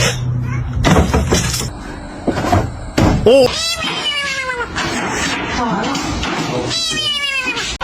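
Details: Cat meowing repeatedly, short falling meows and a longer wavering cry among bumps and clatter, with people talking in the background.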